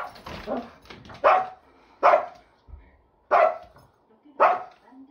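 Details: Big pet Shih Tzu named Chiro barking indoors: four sharp, loud barks spaced about a second apart, each a short bright burst, with faint household sounds and a bit of speech at the start.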